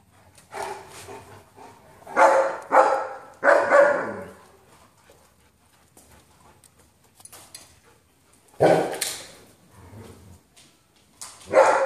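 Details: German Shepherd at home, addressed as Belle or Bill and questioned about something it has taken: clusters of loud, throaty barks and grumbling yips, three close together early on, then a pause, then more bursts near the end.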